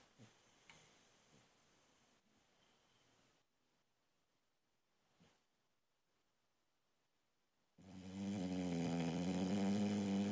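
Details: Female Boxer puppy sleeping indoors; soft rustling and breathing give way near the end to the start of a loud, buzzing, harmonic snore that continues to the cut.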